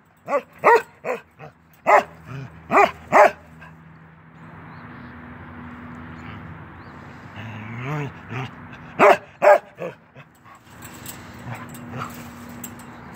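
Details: A young male Norwegian Elkhound, ten months old, plays through a fence. Several quick barks come in short bursts, then a few seconds of hiss and quieter sounds, then another tight cluster of barks.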